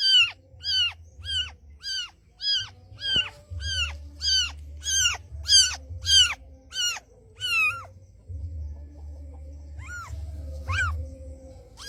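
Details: Mother cat, a street cat, summoning her white kitten with a rapid string of around fifteen short high meows, then a pause and two or three more calls, over a low background hum.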